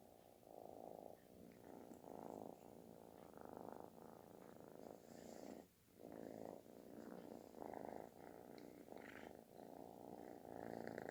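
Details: Snore-like, very loud purring from a kitten seeking affection; a steady rumbling purr pulsing with each breath over about eleven seconds, briefly dropping away near the middle before resuming strongly.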